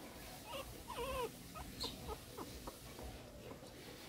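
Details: Newborn Shih Tzu puppies, part of a new litter in 2014, give thin high whimpering squeaks with one clear rising-falling whine near the middle, followed by soft scattered squeals over a quiet indoor background.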